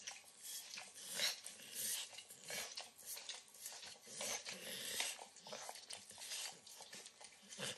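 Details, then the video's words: A 9-year-old Pit Bull indoors in a kitchen licks and nibbles overcooked bacon given as a treat, recorded close up: wet, crackly lapping and smacking sounds in irregular bursts, with no talking and little background noise. "Dog Licking Sounds"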